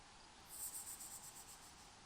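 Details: Cricket in hot desert ambience giving a short, very high pulsed trill of rapid beats lasting about a second and a half, set against a steady airy background hiss.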